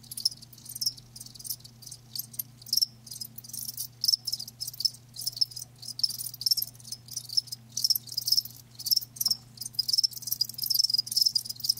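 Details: Rapid high chirping from live crickets runs almost continuously, the pulses packed tightly with short pauses between bursts, while a low steady hum sits beneath.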